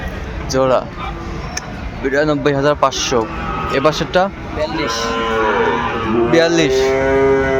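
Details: Sahiwal bull at a busy cattle market in Comilla, Bangladesh, on 11 February; drawn-out, low, harmonic moos in the second half, with shorter bellows earlier, over constant chatter and bargaining voices of the crowd.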